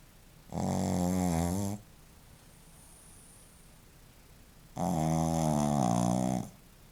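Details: Shih Tzu called Joaquim snoring twice, each breath a harsh, humming rattle over a second long, separated by about three seconds of quiet breathing indoors.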